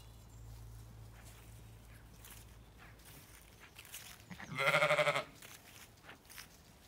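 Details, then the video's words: Zwartbles sheep on a regenerative farm in County Kilkenny, Ireland, ewes and lambs calling in the field; after a low hum, one loud wavering bleat rises near the end, with soft outdoor background. "I quietly watch ewes & lambs till I can't help myself & respond to them"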